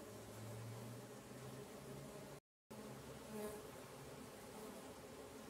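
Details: Stingless bees from several swarms in a kept apiary give a steady, low droning hum, many wings buzzing together around the hives.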